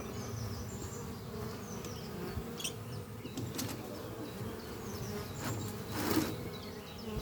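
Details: Steady low hum of many honey bees flying at their hive beneath trees on a spring morning, foragers returning with pollen; the drone stays even throughout, with faint high bird chirps now and then above it.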